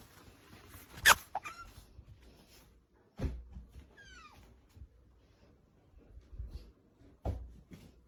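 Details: Hungry pet otter indoors making its funny yumyum noise: a few short, high squeaky chirps that slide downward, one loud sharp squeak near the start, and soft thumps and rustles between them.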